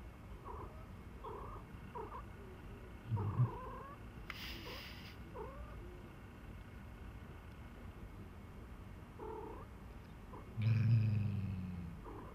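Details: Pet cat on a cold night, wanting to settle into the warm kotatsu, purring in a steady low rumble throughout, with short higher chirp-like sounds repeating and two brief rustling bursts.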